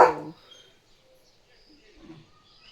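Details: Leo, a pet German Shepherd, on his barking morning duty at a dog and a cow outside the gate: one short, loud, harsh bark opens the clip, followed by near silence.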